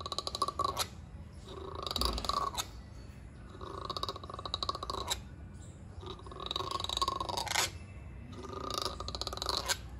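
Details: Langur; threat call; aggression, readying to fight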